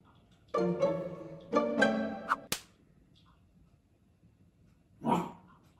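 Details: French Bulldog reacting to a picture of another French Bulldog indoors: two drawn-out, harmonic, whining grumbles in quick succession, a sharp click, then a shorter breathy vocal burst after a pause.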